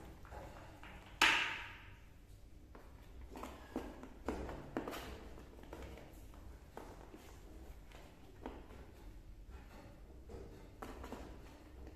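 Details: Indoor room noise with tapping, thuds and footsteps, plus a sharp burst just after one second; no clear animal call.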